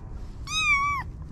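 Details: Stray kitten, 25 days old, from a litter born at a neighbourhood car shop: one clear, high, drawn-out meow lasting about half a second, steady and then dipping slightly at the end, over a low background hum.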